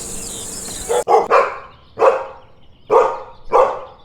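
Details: Dog barking in a farm-animal sound lesson for kids: a quick double bark followed by three single sharp barks, roughly every second, after a noisy start.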